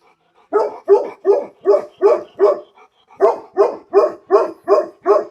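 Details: Tibetan Mastiff dog barking: a quick run of six sharp, mid-pitched barks, a brief pause, then six more, close to three per second and evenly spaced, with no voices or other sounds.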